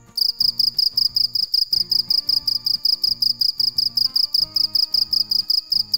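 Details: Dế mèn cricket calling at night with an unbroken series of bright, high-pitched pulses at an even pace throughout, accompanied by faint rhythmic music in the background.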